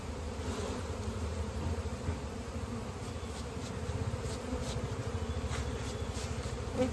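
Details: Bees humming at a hive as honey is collected from the comb in an Indian village, a continuous low buzzing drone that swells slightly at times, with soft taps near the end.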